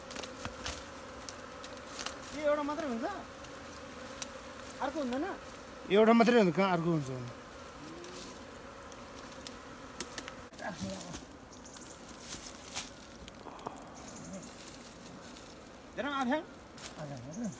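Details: Wild honey bee swarm in a Nepal jungle, caught with bare hands from a tree and moved into a modern hive; a steady low droning hum runs throughout, broken by short bursts of human voices near the start, middle and end.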